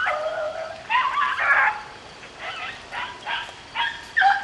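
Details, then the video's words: Beagles rabbit hunting in the rain: a pack bays in overlapping bursts, drawn-out harmonic howls and yelps with short pauses between, steady rain hiss underneath. "rabbit hunting with beagles in the rain"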